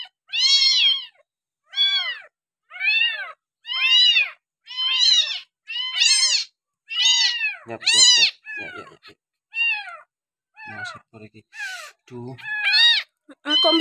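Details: Rescued kampung kitten on its sixth day of bottle feeding cries in a long series of shrill arched meows about once a second, later broken by rustling, handling noises and quieter, irregular squeaks.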